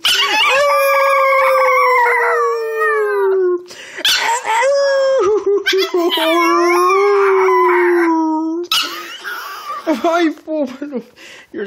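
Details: Foxie, a male Pomeranian puppy, greeting his returning owner indoors with long drawn-out howls, each held several seconds and gently sliding down, broken by wavering rising cries and yips; the owner speaks softly between them.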